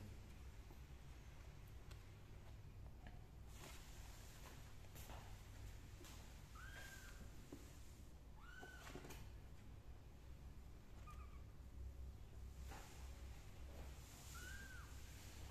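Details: Kittens crawling out of a pot while their mother cat licks them; four short, high, arching mews spaced a few seconds apart over a steady low hum, with scattered rustling and soft thumps.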